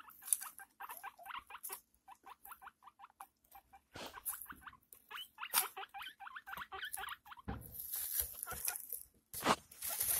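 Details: Pet guinea pig giving birth to six young: rapid runs of short, bright squeaks, several each second, in bursts with brief pauses, ending with loud rustling of bedding.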